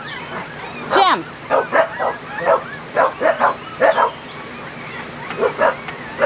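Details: Kerry Blue Terrier puppies, 20 days old, on their first day outside in a play area in June: a run of short, high yips and squeaky whimpers in quick bursts, about a dozen in six seconds, over faint background hiss.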